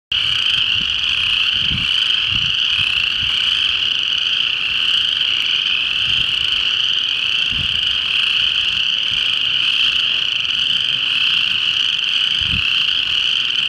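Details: A male boreal chorus frog (Pseudacris maculata) calls in Boulder County, Colorado, amid a dense, unbroken high-pitched trilling chorus.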